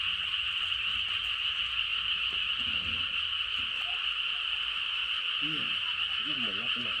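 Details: Late-night rural frog chorus, an unbroken high trilling hum from many frogs, with a person's voice speaking briefly over it toward the end.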